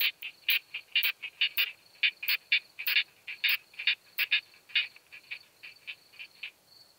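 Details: Isophya camptoxypha, the curve-tailed plump bush-cricket, recorded 4 June 2021 in Hohenbrugg an der Raab, Austria, through a Pettersson D 100 ultrasound detector; rapid irregular volleys of crisp high clicks, about two a second, thinning out toward the end.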